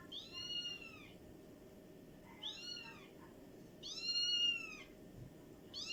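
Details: Domestic cat making quieter, repeated arched meows, each rising then falling, about four in six seconds, against a noticeable low-frequency background rumble.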